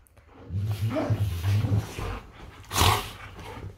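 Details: Golden retrievers Funshu and Buddy play fighting in bed; a sustained low, grumbling growl runs for over a second, then a louder rough snarl-like burst breaks out before fading into breathing.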